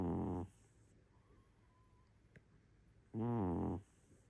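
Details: Sleeping cat snoring, two rough, harmonic snores about three seconds apart, each under a second long, with soft background hiss between breaths.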